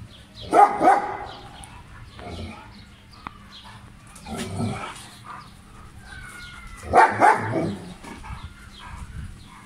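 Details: German Shepherd dog at play in Pakistan, 2020: two short clusters of loud, harsh barks, one near the start and one near the end, with quieter voices and faint rustling between them.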